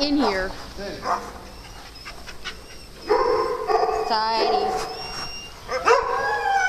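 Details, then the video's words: Dogs at playtime on a farm: high, wavering whines and short yips rising and falling in pitch, in several bursts, with a louder excited run of whining midway, and people talking in the background. "Playtime at Dogs On The Farm"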